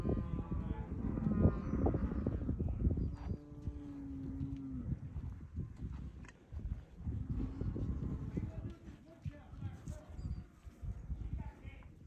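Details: Herd of nineteen bred Angus, Baldy and Charolais Cross cows aged three to five; one long low moo rises out of shuffling hooves, with brief speech and scattered higher calls.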